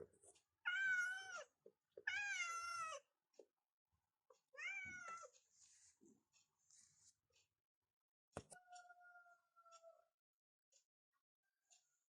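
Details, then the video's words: Morning meows from cats waking their owner in a bedroom: two strong wavering meows, a third shorter one, then rustling, a sharp click and a brief steady electronic tone. "In the morning, I wake up in the bedroom with the sound of cats like this"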